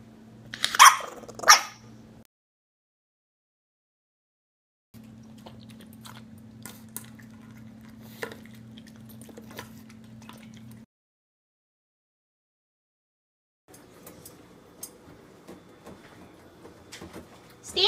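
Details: Stanley, a bulldog puppy, gives two short, loud, harmonic yelping barks in the first two seconds, then a quiet indoor stretch with steady low hum and faint clicks.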